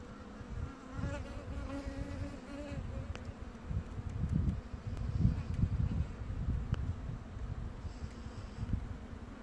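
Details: Bombus vosnesenskii bumblebee queen chewing on wood: a steady low buzz with a clear harmonic hum, mixed with irregular crunching, scraping bursts of chewing that swell around the middle.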